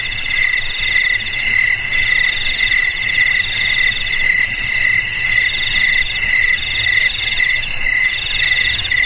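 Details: Cricket sound used to drive off rats: continuous shrill pulsing trill with steady repeated chirps, several high tones layered together, faint low noise underneath.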